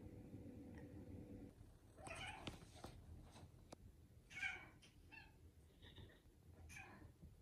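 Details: Indoor tuxedo cat, one of two sister cats, sulking: a string of short, nasal meows, several close together around two and four seconds and more at six to seven seconds, over a low background hum.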